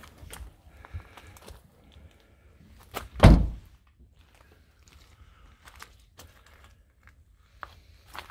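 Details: An evening outing after rain with low rumble, scattered clicks and footsteps, and one loud thud like a door or a jump into a car; no animal calls.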